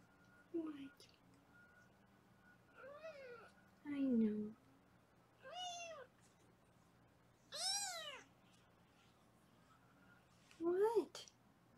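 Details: Foster kittens meowing in a Los Angeles foster room while being weighed: several separate high, arched, harmonic meows with gaps of one to two seconds between them, with a steady low hum in the background.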